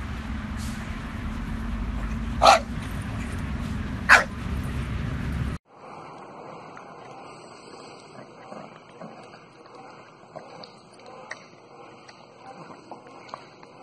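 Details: Bulldog giving two short, sharp barks about one and a half seconds apart over a low indoor hum. An abrupt cut follows into quieter, hissy room noise with faint scattered clicks.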